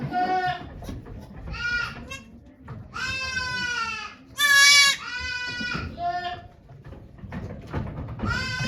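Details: Goat Okayu giving birth to two kids at Yoshigake farm, Japan, 3 May 2023, volunteers present; repeated loud quavering bleats, one very harsh and strained, with brief murmuring voices.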